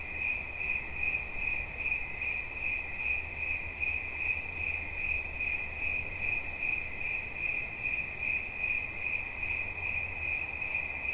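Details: Cricket as relaxation ambience: quick, regular high-pitched chirp pulses ride on a steady ringing trill, with an intermittent deep rumble beneath.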